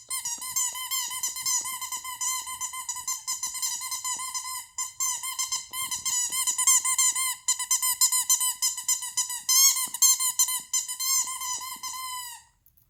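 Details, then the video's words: Shih Tzu named Toto indoors, making noise to get attention: a continuous high squeaky whine with steady harmonics, wavering and pulsing in short bursts almost without pause. "Toto makes noise to get my attention!!"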